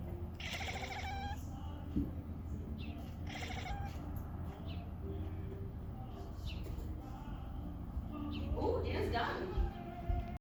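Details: Cat talking to a bird, giving short harmonic meow-like calls near the start and again around three and a half seconds, then softer chirps, over a steady low hum.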